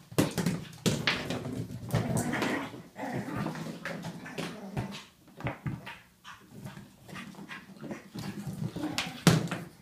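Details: Pug named Ollie wrestling his toy in a frenzy, with sustained throaty growling and whimpering that rises and falls over several seconds, plus scattered knocks and taps of play.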